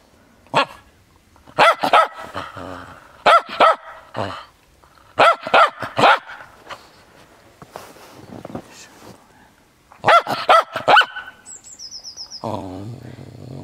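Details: Frisky Cairn Terrier playing in the snow, giving sharp barks in quick bursts of two to four, with short quiet gaps between bursts and a brief high electronic tone near the end.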